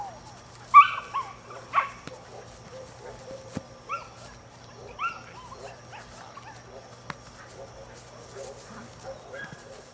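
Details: Nine-week-old male puppy of the Rodin/Katana litter lets out sharp high yelps near the start, then a few softer yappy barks spaced a second or two apart over low room noise.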